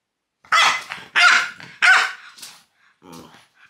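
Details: Pet French bulldog named Loki barking indoors at fingers pointed at him, which he hates: three loud harsh barks about two-thirds of a second apart, followed by a softer grumbling bark.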